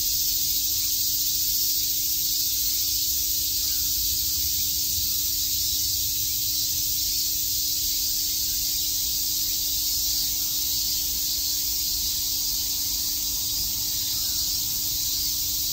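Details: Chorus of many cicadas in Shakujii Park, Tokyo, during summer, heard as one even, sizzling high buzz that neither rises nor fades, over a quiet steady low hum.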